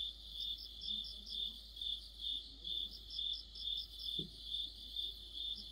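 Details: Crickets and companion insects singing together in mid-autumn, a steady high-pitched chirp throbbing roughly twice per second beneath a higher, broken buzzing, with one soft low knock partway through.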